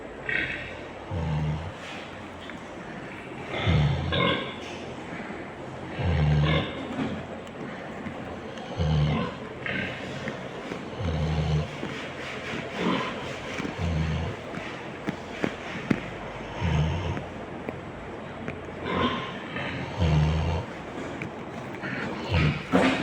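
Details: Sleeping pig snoring steadily: deep low snorts roughly every two and a half seconds, each a short rumbling pulse, over continuous broadband background noise.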